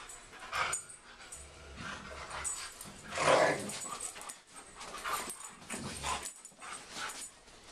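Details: A German Shepherd and a Siberian Husky play fighting: bursts of rough growling and yips, one loud snarl near the middle, with scuffling between calls.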